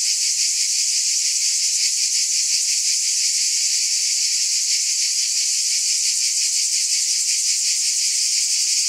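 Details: Cicadas fill the air with an even, hissing drone that flutters rapidly about three times a second and never breaks off, with nothing else heard.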